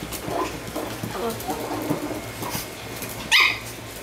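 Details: Chihuahua, one of two pet dogs named Vanilla and Jack, gives a single sharp, high yip near the end, after several seconds of soft background voices and low murmuring.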